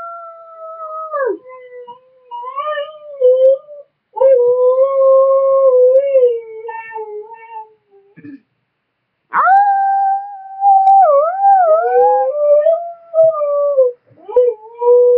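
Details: A young Siberian husky howling indoors: long, smooth, wavering tones that rise and fall, broken into several drawn-out phrases with short pauses between them, ending with a few shorter yelps.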